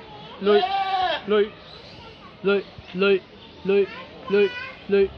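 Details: A goat at a children's zoo in Chiji Kōzan Park, Saitama, Japan, bleats in short, wavering, strikingly human-like cries repeated about every half second.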